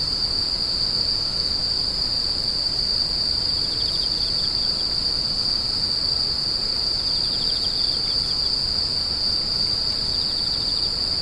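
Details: A sustained high insect whine runs evenly across the whole stretch, broken only by faint patches of lower pulsed chirps at intervals, with a light low-frequency rumble behind.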